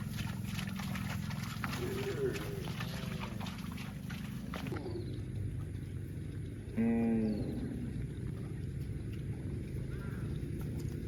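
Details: Cow giving short, harmonic lowing calls, a softer pair near the second second and a stronger, clearer moo around the seventh, over a steady low rumble of wind-like background noise.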